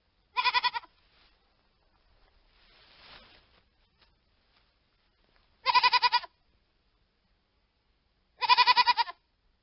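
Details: Three sharp, vibrato-laden bleats from a hogget, widely spaced over several seconds, with a soft breathy rustle in the quiet gap between the first and second.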